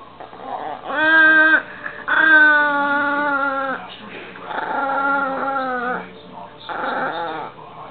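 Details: Dog whose voice resembles a remote control car, giving drawn-out, buzzy, harmonic whines in four bursts of about half a second to one and a half seconds, each wavering slightly in pitch, with quiet room noise between.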